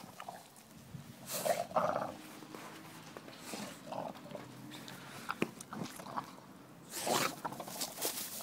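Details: English Bulldog Bill, busy playing with a basketball, lets out harsh, breathy growls in two main bursts, one early and one near the end, separated by quieter scuffling and huffing.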